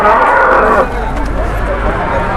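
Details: Large cattle in Indonesia, brought in to be offered to dealers at a high asking price: a loud, drawn-out moo in the first second, then a noisy background of human voices and crowd chatter.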